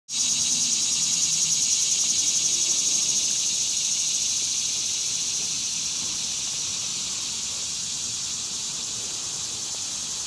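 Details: Dog-day cicada singing on 11 August 2015 in Coles County, Illinois; a loud, steady, high-pitched electric buzz fills the whole stretch, easing slightly in volume after the first few seconds.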